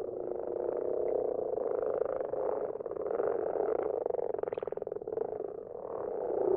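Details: Garden-pond common frogs at night produce a continuous throng of low, grating purrs, with faster pulsed rattles standing out around four to five seconds.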